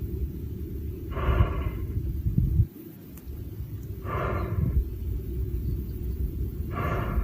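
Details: Lion sneezing three times, each a short breathy burst about three seconds apart, over a steady low rumble of background noise.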